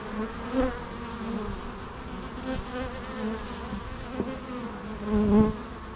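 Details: Continuous low hum of bees in flight, a layered drone with strong harmonics and occasional louder passes near the start and toward the end as a bee flies close.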